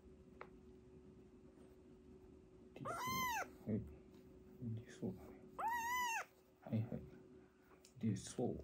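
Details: Two drawn-out, arching meows from a foster kitten, one of a sister and brother taken in on emergency and being toilet trained, spaced about three seconds apart, with human speech murmuring around them in a small room.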